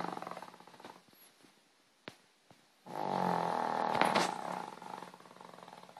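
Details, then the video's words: Sleeping dog giving a drawn-out rattling snore about three seconds long after a softer fluttering breath and a few sharp clicks. "My dog snoring"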